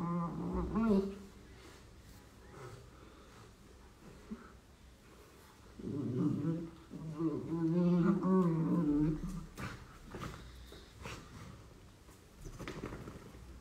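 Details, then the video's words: Indoors, beagle puppies playing give low rumbling growls mixed with wavering whiny tones in a burst in the middle. Scattered thumps and knocks are heard before and after it. "Самые милые игры щенков Бигль"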